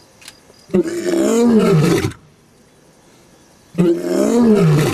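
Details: Lion at Olare Orok giving deep, drawn-out roars that slide downward in pitch, one lasting over a second, then another starting after a short quiet pause, recorded outdoors.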